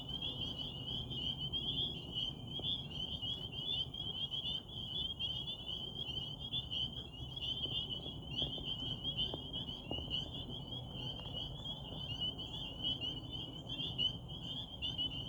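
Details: Night chorus of many frogs at a Rehoboth pond beneath a waxing gibbous moon, high pulsing trills merging into a continuous ringing wall of sound, with faint low background hum and occasional soft clicks.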